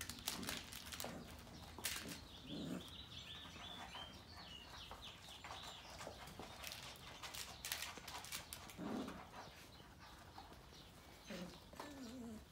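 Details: Female Sheepadoodle puppies from Coco's litter give thin, high, wavering whimpers and squeaks in short bursts, with a few lower whines, over frequent clattering knocks and rustling.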